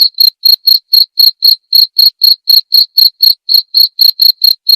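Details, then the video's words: Cricket recorded clearly as tutor material for white-rumped shamas: shrill, high chirps about four per second, around twenty in a row, steady and evenly spaced, with no other sounds. "masteran suara jangkrik jernih!"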